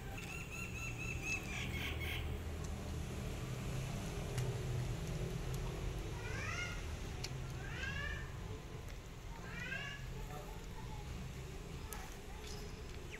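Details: Hungry stray cat asking for food gives three drawn-out meows, each a curved, harmonic-rich note rising then falling, spaced about two seconds apart midway through, over a steady low outdoor rumble with brief clicks and faint voices.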